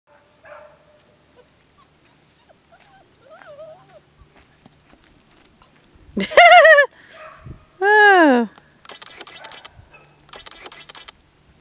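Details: Labrador Retriever puppies at six and a half weeks, from a Jada and Gunther litter: two loud, arching whines with rich harmonics around six and eight seconds, framed by soft squeaks, faint scratching noises and quiet speech.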